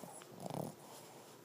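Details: A female Boston Terrier napping during TV time gives one short, rough, rattling snore in a quiet room.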